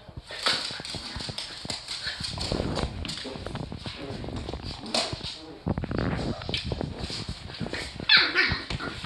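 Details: Playful barks and grumbling growls from two dogs at home, eight-week-old Terry against one-year-old Rocky, a Boston terrier in the family; loud scuffles and a sharp bark near the end, with someone speaking.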